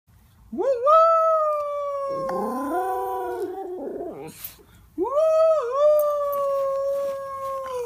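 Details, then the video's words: A female Miniature Schnauzer howls along with her brother in long, sustained tones that rise, hold, and slowly fall. "mini schnauzer howling"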